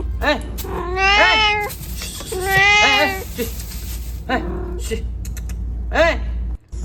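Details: Cat shut inside a fridge meowing twice, long and wavering, followed by several shorter, sharper mews; a constant low hum and faint clicks sit in the background.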